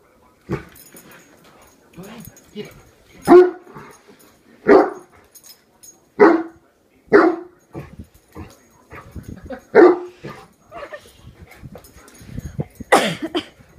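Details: A one-year-old Great Dane named Horton barks at a hairbrush he suddenly treats as an enemy to protect his family: loud single barks spaced a second or more apart, with softer grumbles and quiet voices between them.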